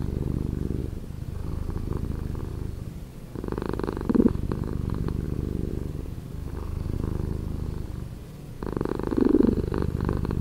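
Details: Cat purr played at slower speed, deep and continuous, with two brighter, louder swells of breath separated by quieter low rumbling.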